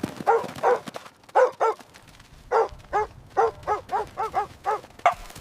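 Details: Puppies at play on fresh green grass, running, jumping and play-fighting: a brisk run of about thirteen high, yappy barks, often in quick pairs, with short pauses between bursts.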